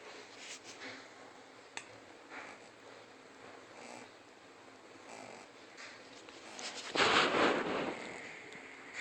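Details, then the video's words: King Trask, a three-month-old Shih Tzu puppy, snoring while asleep indoors: soft breathy rasps recurring at intervals, with a louder, broader snort-like burst near the end. "Shih Tzu Puppy Snoring"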